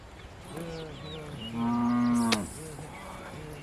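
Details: Hallikar cattle herd at a grazing yard in Harohalli Taluk: a steady one-second moo rises from the middle of men's conversation, with other faint cattle calls around it.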